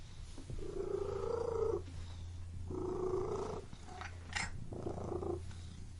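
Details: Cat purring inside a room: three rumbling purr phrases of roughly a second each, over a constant low hum, with a couple of brief higher squeaky sounds near the end.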